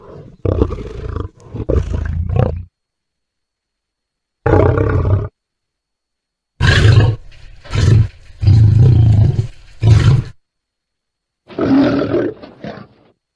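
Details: Lion producing deep, low-pitched grunting roars in separate bursts, divided by stretches of silence, with the loudest cluster near the middle.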